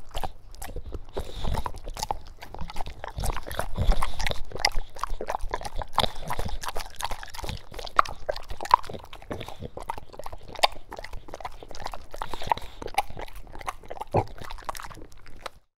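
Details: A dog eats wet food, grunting as it goes: low snuffling grunts mixed with sharp wet chewing clicks and smacks, irregular and continuous, fading out at the very end.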